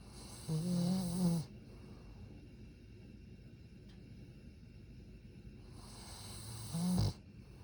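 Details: Satsuma beagle asleep and snoring gently: two low, buzzy snores about six seconds apart, each under a second long, the second ending in a short snort, with near silence between them.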